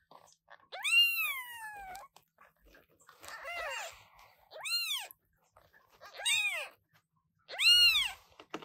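Newborn British Shorthair kittens give high, thin meows, each one an arched, piercing cry repeated several times.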